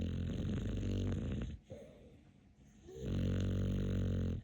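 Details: Capler, a dog crowned king of snoring, gives two long, heavy, buzzing snores of about one and a half seconds each, separated by a short quieter breath.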